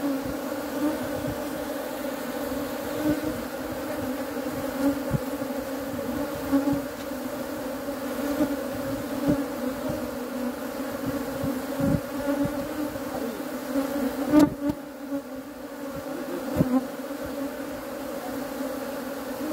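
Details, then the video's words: Continuous low, even hum of honey bees with layered harmonics, occasional soft taps, and a short dip in the drone near the end. "#honey #bee"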